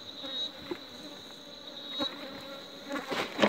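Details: Honey bees buzzing around an apiary, a soft steady hum broken by brief clicks and knocks, with a louder burst of activity near the end.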